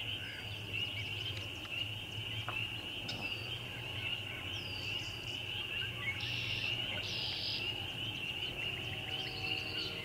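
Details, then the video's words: Numerous spring peepers produce a sustained shrill chorus, with rising peeps dotted throughout. Short bursts of buzzy and whistled calls from other callers come and go over the chorus. "Spring Peepers"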